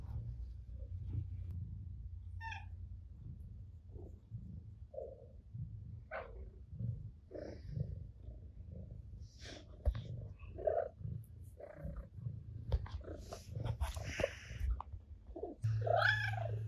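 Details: Ginger the cat purring while driving a rival off the owner's lap indoors; a steady low rumbling purr runs throughout, broken by scattered clicks, rustles and brief higher squeaky sounds toward the end.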